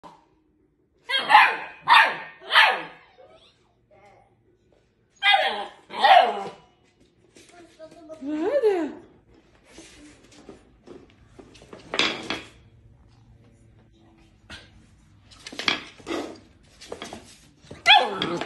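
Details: Rhodesian Ridgeback giving short harmonic barks in quick groups of three, then a drawn-out rising and falling moan and scattered sharper yelps, with quiet pauses between bursts.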